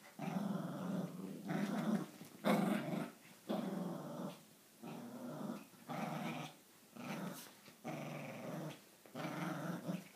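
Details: Indoor tug-of-war game between an Italian Greyhound and a Papillon, part of an every-morning routine: rough, throaty growls come in repeated surges about once a second, and a person speaks afterward.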